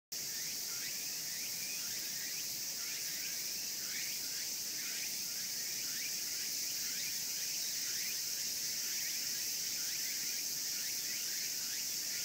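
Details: Insects, possibly cicadas, in the Imperial Palace East Gardens in Tokyo fill the air with a loud, steady, shrill high buzz, overlaid by quick falling chirps repeated about twice a second.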